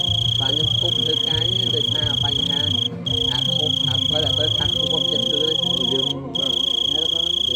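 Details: Large cricket with a loud scream: a piercing, steady high-pitched buzz running almost without pause, broken by two short gaps. Low voices and murmuring sound underneath.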